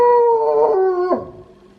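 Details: Brief end of a wolfdog's howl recorded at home: a clear, slightly falling tone that drops abruptly in a cracking slide and fades out.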